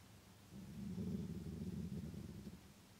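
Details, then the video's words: A grey wolf growls angrily in a deep, rumbling, throaty growl lasting a couple of seconds, a threat that makes another wolf flee. "Wolf, canis lupus, growls angrily, another flees"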